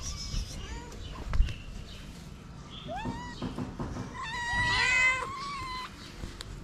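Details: Stray tortoiseshell cat among many ginger street cats, meowing to ask for food: several drawn-out, rising then falling meows, some overlapping near the end, over low outdoor rumble and faint background noise.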